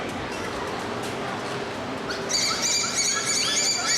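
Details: Captive bottlenose dolphins at SeaWorld Orlando in September 2023, during a dolphin show, give high, sliding whistles through the blowhole that rise and fall, after a stretch of crowd murmur.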